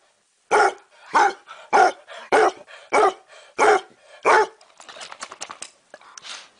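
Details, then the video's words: Seven steady, deep barks from a dog, evenly spaced about every 0.6 seconds, followed by softer rustling and faint clattering noises. "Most funny dog barking videos compilation"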